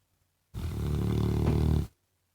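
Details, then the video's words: A pet Labrador Retriever snoring: one drawn-out, deep rumbling snore of about a second and a half, rich in low buzzing tones, with quiet before and after. "мой лабрадор храпит"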